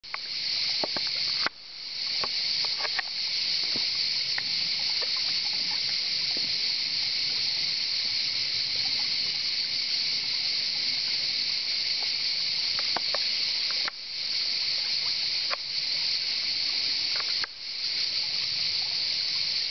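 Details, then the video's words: Cicadas in full chorus: a loud, dense, dry buzzing hiss that carries on almost unbroken for nearly twenty seconds. It dips briefly near 1.5, 14 and 17.5 seconds, with faint clicks and rustles beneath. "Il canto delle cicale"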